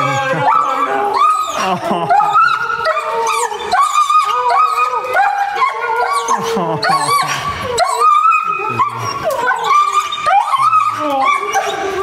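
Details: German Shepherd reunited with its owners, giving excited high whines and yelps that rise and fall in rapid succession, mixed with people's voices and background music.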